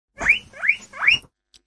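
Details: Domesticated guinea pig giving three quick rising squeaky whistles, each sweeping upward and ending sharply, in a short burst of just over a second with a faint click afterwards.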